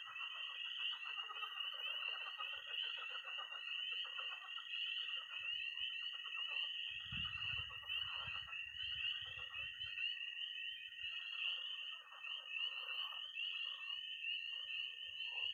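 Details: Peeping tree frogs, croaking pond frogs and high trilling toads on an early spring night in Missouri: a dense shrill chorus with lower pulsed trills and a short low rumble near the middle.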